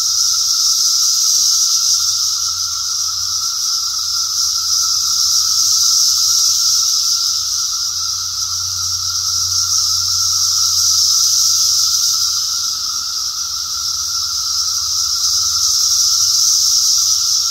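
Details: Cicadas in 2021 fill the air with a steady, shrill, high-pitched drone that swells and eases slightly.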